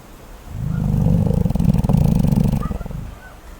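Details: Sleeping koala snoring: a deep, rumbling, pulsed rasp that swells over half a second, holds steady for about two seconds with rapid throaty pulses, then fades away.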